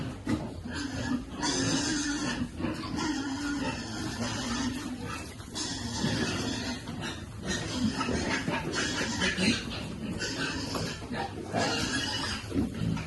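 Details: Piglets at feeding time give dense, continuous squealing with broken, overlapping cries and a steady tonal whine running underneath, loud throughout with brief dips around the second and sixth seconds.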